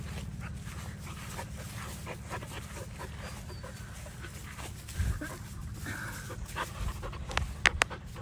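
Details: Male German Shepherd puppy panting in rapid, steady low breaths over a continuous rumble, with a few sharp clicks and bumps toward the end.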